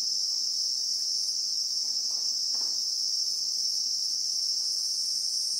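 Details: Christmas beetle (Anoplognathus) drone in South African bushveld with acacia trees, recorded in real time: one shrill sustained band of buzzing, steady in loudness, with a few soft muffled knocks underneath.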